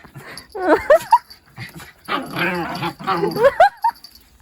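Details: Puppy at play in the countryside, a mixed-breed rural dog, giving short high whines and yelps that rise sharply in two quick bursts, with a person talking between them.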